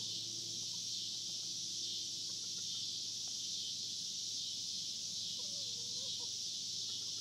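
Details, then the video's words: Steady shrill cicada drone recorded at the Hard Fifty Farm, continuous and even, while a faint wavering bird-like note surfaces briefly near the end. "Recording of cicada sounds on the Hard Fifty Farm"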